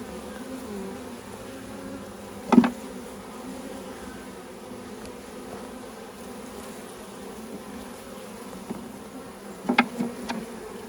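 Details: Honey bees being installed from a package into a hive, several thousand poured out with the caged queen, during a first beekeeping session; steady low hum with two brief sharp knocks.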